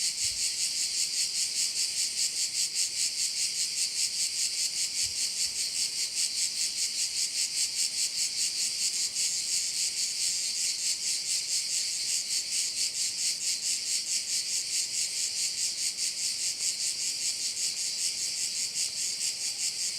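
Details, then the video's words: Crickets fill a bay on Korčula, Croatia, with a continuous high buzzing chorus that rises and falls about 146 times a minute, steady for twenty seconds with a couple of faint knocks early on. "view of one of the bays in Korcula with sounds of crickets"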